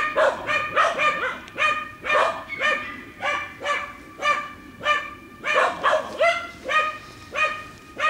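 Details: Dogs working wild boar in a training pen bark rapidly, about a hundred sharp barks a minute in an uneven rhythm, some coming in tight doubles.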